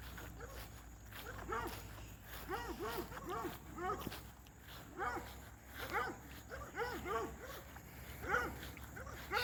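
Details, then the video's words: Several hound dogs fence racing with Lucy outdoors, barking in quick clustered bursts of arched, yelping barks, groups of three to five separated by short pauses, some overlapping; a faint steady high hum and occasional human voice behind. "Lucy versus hound dogs fence racing.. again.."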